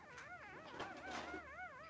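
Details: Three-day-old Blenheim Cavalier King Charles Spaniel puppy in a newborn pen with its mother Pom-Pom and a brother: continuous high, wavering whimpers rising and falling in rapid undulating waves for two seconds, with faint background rustling.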